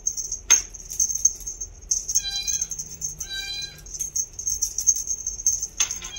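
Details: A 2-month-old female bi-lilac Scottish Fold kitten gives two short, level meows against a steady high-pitched background tone.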